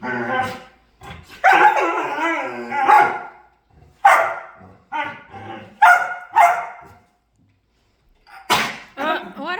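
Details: Playing dog giving short, strained whining yelps and quick yips, some rising in pitch, spaced a second or so apart, with a person's voice mixed in among the calls.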